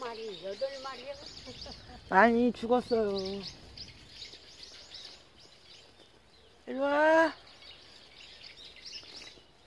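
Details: Ippunee, a short-tailed female tabby cat and one of three tabby siblings, known for answering whenever spoken to and for clinging to legs to be held. Two drawn-out, rising-then-falling meows near two and seven seconds, with a human voice at the start.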